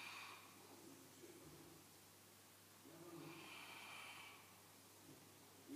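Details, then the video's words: A sleeping St. Bernard snoring quietly: slow, breathy rasping swells, one at the start and a longer one about three seconds later, separated by soft wheezy breathing. "Snoring St. Bernard"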